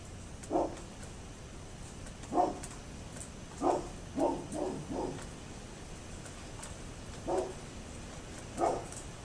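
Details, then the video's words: A neighbour's dog, 27 October 2011, barks in an uneven series, single barks then a quick run of three, with pauses between, over a steady low background hum. "Neighbors Barking Dog"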